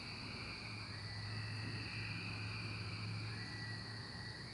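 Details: Cicadas during the 2024 emergence: a dense, steady high whine from many insects, with a higher shrill band above and a swelling mid-pitched drone, over a constant low hum.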